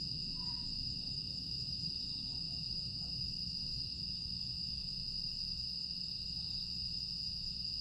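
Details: Continuous high, even trilling of grass insects at night in Aewol on Jeju Island, late August 2022, holding a constant shrill tone throughout, with a brief faint mid-pitched note near the start and low ambient rumble underneath.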